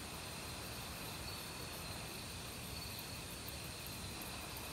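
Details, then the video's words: Crickets singing in an autumn forest together with various other insects, an even shrill ringing drone with faint pulsing above the steady broadband noise of a nearby stream. "가을 귀뚜라미 소리"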